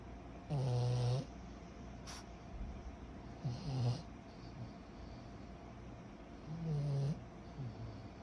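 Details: A 14-month-old pug puppy named Kyro snores while asleep: three loud, rough, low snores a few seconds apart, with shorter fainter snorts after them and a single sharp click in between.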